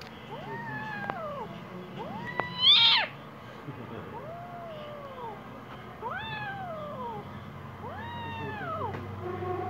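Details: Angry little kitten giving a run of drawn-out, arching meows, about six in under ten seconds, one sharper and louder cry near the third second, over a low steady background hum.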